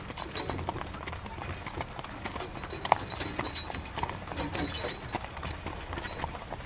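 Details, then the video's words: Horse pulling a carriage in rain: clattering hoof strikes and wheel knocks come in uneven bursts against continuous heavy rain noise. "Horse Carriage Through Rain"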